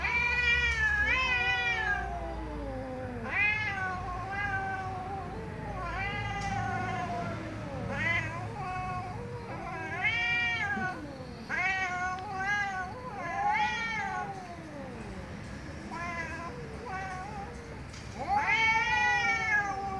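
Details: Angry domestic cats meowing loudly, a rapid series of harmonic, arching meows, many rising then falling, following one another with short gaps, some overlapping, with a louder drawn-out meow at the end.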